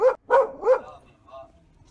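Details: Chihuahua at a grooming salon, relaxing in the shop after its trim while staff give the commands paw and other paw; three short, sharp barks in quick succession, then a faint lower sound and quiet, with a person speaking nearby.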